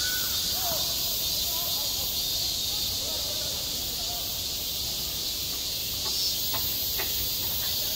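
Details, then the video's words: At a school playground in midsummer, cicadas keep up an unbroken high, buzzing drone; faint far-off human voices drift underneath and a few light taps sound toward the end. "한 여름 운동장에서 매미가 울고 있다 - 여름의 소리, 학교 종소리, 매미 울음소리"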